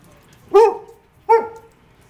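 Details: Two short, hoarse barks from a pet greyhound, a breed noted for not barking, spaced under a second apart, each with a slightly rising then falling tone over faint low room noise.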